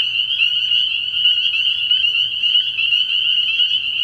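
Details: Spring peepers massed at a frog pond after dark early in the year, their piercing high peeps overlapping so thickly they form one constant, trilling ring with slight pulsing.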